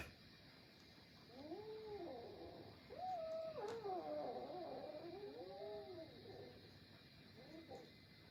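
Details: Fighting domestic cats, a small kitten against its adult brothers: overlapping arched yowls swelling and falling, several voices piling up into a loud tangled wail midway, then fading to short moans, over steady background hum.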